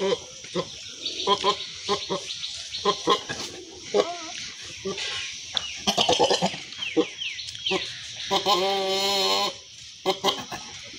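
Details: Goats, a she-goat and a billy goat shown together affectionately; a long, quavering, wavering bleat rises out near the end, after stretches of human chatter and scattered clicks and knocks.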